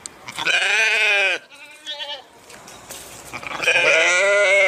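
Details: Two loud, wavering bleats from a sheep, one opening and one closing the passage, with a softer, brief bleat between them.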